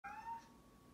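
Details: Domestic cat giving one very short, clear meow, a bright tone that holds briefly and fades, indoors with faint background hum.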